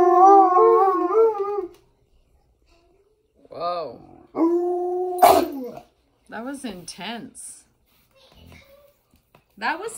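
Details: Three Alaskan Malamutes, a mother among them, howl in response to a sound a person makes through a hollow foam pipe. A wavering, held howl opens, followed by shorter rising-and-falling howls and yelps separated by silences, with human speech.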